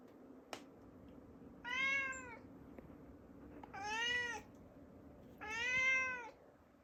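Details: Indoor cat begging for the door to the upstairs to be opened: three long, loud, wavering meows, each close to a second, about two seconds apart, preceded by a small click, over quiet room hum.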